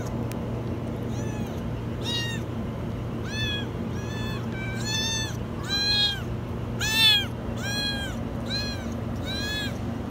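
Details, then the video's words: Kitten stuck inside a washing machine, meowing very high: a series of about nine loud, arched, wavering meows at roughly one per second, some rising then falling, over a steady low mechanical hum. "Kitten stuck in the washing machine meow very high"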